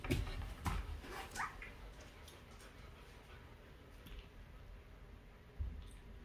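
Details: Two-week-old newborn puppies nursing on their mother's milk while she cleans them, indoors; a few short high whimpers rise quickly near the start, then soft low suckling, shuffling and rustling fill the rest.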